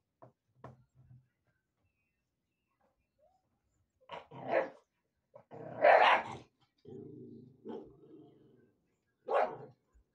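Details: XL American Bully puppies indoors, put in for the night and squabbling over a bone: short sharp barks and yaps in scattered bursts with a longer low growl in between, the yaps rising in strength toward the middle.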